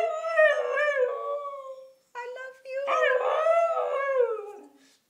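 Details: Young husky indoors vocalising as if saying "I love you": two long, wavering, moaning howls with bending pitch and bright overtones, split by a short clipped yelp and a brief gap.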